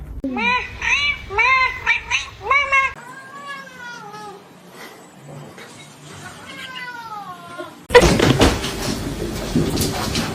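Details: Domestic cat meowing insistently: five short arching meows about half a second apart, then longer falling meows, before a burst of loud rustling and laughter.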